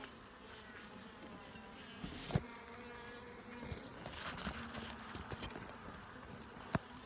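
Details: Low, even buzzing from honey bees in a hive opened to look for eggs, larvae and brood, with frame-handling clicks and two sharp taps cutting through the drone.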